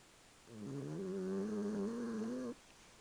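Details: Snoring from Puchini the cat, a sustained low buzzy hum lasting about two seconds, gently wavering in pitch and rich in overtones, ending sharply; the room is otherwise quiet.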